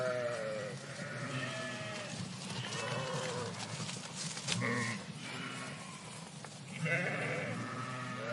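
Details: Flock of sheep in a park bleating, several overlapping wavering harmonic bleats of different pitches, some low and some higher, rising and falling through the recording over steady background noise.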